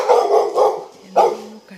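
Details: Toby, a pet Labrador Retriever, gives a run of three loud, hoarse barks: two close together, then one more after a short pause, with a faint steady tone underneath.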